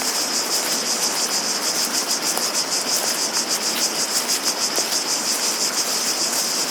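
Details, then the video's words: Many cicadas buzzing together in a high, sizzling chorus with quick rhythmic surges, while water rushes constantly in the background and soft ticks occur now and then. "Relaxing Sounds of Cicadas"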